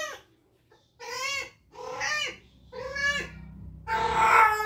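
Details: Mandy, a spayed cat caught in a 19-day heat from ovarian remnant syndrome, lets out four or five loud, arching wails. Brief quiet gaps separate them, and the final cry is the harshest.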